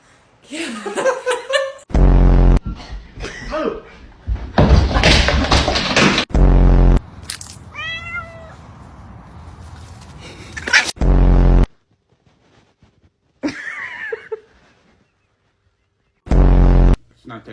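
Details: A talkative Persian cat gives several high, wavering meows between bursts of human speech.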